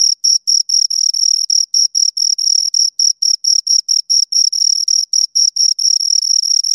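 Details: Fast, overlapping chirps from two crickets: high, rasping pulses tumbling over one another, several blurring into longer trills, in an otherwise silent setting.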